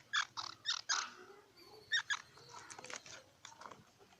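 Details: Squirrel giving a quick burst of four sharp, harmonic chip calls, then a pair near the two-second mark and softer scattered chips over a hissy background.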